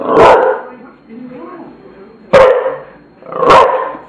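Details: One hoarse bark from Tula the bulldog, then a quieter murmuring stretch, then two more loud, rough barks in quick succession.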